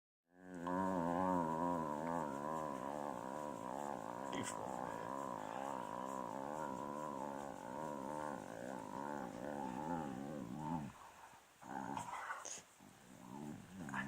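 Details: Male beagle complaining while his tummy is rubbed: a long, sustained, wavering moan with a rich harmonic tone, rising and falling in small ripples for about ten seconds, then breaking into a few short, softer grumbles.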